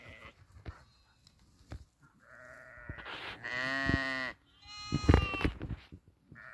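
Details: Grazing sheep: faint rustling and soft thuds, then one long, wavering, nasal bleat held for about a second, followed by a shorter, louder bleat shortly after.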